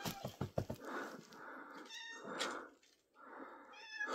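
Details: Domestic cat recorded indoors on 3rd April 2024, giving several drawn-out, wavering meows after a burst of short shushing sounds at the start, with a brief quiet gap before the final cry.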